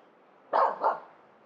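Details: Female Finnish Spitz barking up at a squirrel in the top branches of a pine in a local forest, New Year's Eve morning; two quick sharp barks in succession, the second slightly softer.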